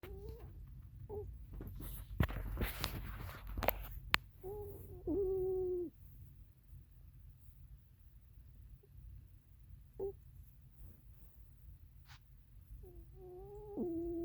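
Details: Oreo the cat snoring while asleep indoors: soft whistled nasal tones, some brief and some drawn out over a second, recurring at irregular intervals, with a burst of rustling clicks near the start and a low room hum throughout.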